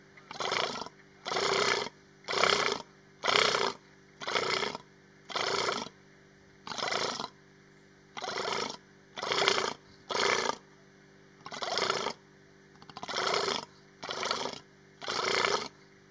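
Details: A female Persian fallow deer (Dama mesopotamica) at Hai-Bar Carmel, Israel, 29 August 2019, gives harsh, breathy estrous calls signalling she is in estrus, repeated about once a second.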